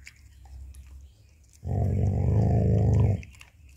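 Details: Pet dog named Jacky growls while guarding his bone as someone tries to take it away: a low, rough, rumbling growl lasting about one and a half seconds, steady and throaty, heard indoors in a quiet room.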